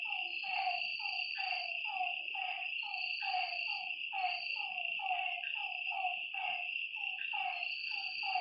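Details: Frogs at a lake by night giving quick, sliding croaks about once per second, several voices overlapping, with a steady ringing insect tone above.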